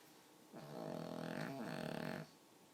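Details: One drawn-out, raspy snore from a pug, nearly two seconds long and strikingly human in tone, with a brief catch midway through.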